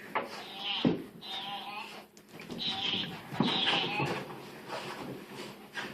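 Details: A domestic dog that dislikes its new sweater gives strange vocalizations indoors: several wavering, moaning whines, goat-like in tone, each lasting around a second, with a low steady hum in the background.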